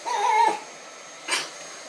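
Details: Chihuahua singing: a single held, whine-like tonal note of about half a second, followed after a pause by a short, breathy noisy burst; faint murmured human voice nearby.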